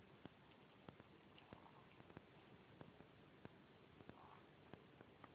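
A Corgi puppy hiccups with soft, sharp clicks at an uneven pace, roughly every half second.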